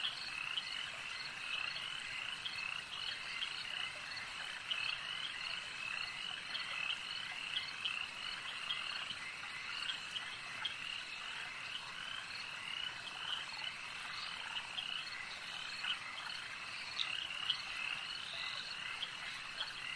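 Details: Many frogs at a lake keep up a steady, high-pitched croaking chorus, with dense rattling trills and scattered louder clicks that hold constant throughout.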